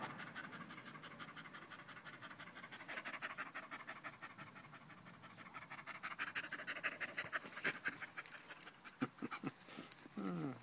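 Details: Danco, a dog, panting loudly on 05.08.2013 while sticking close to a person's leg; fast, rough breaths about three per second, ending with a short high whine-like sound.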